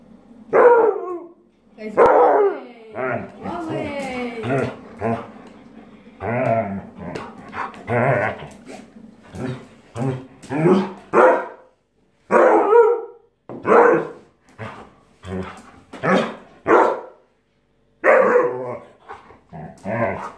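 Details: A very aggressive Siberian Husky gives loud, harsh growling and yowling bursts over a cushion while a person speaks calmly in Italian, urging it to calm down.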